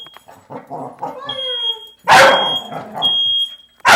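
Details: An agitated dog reacting to a smoke alarm going off indoors. High, whining yelps that slide downward lead into two loud, harsh barks, while a steady high electronic alarm tone beeps in the background.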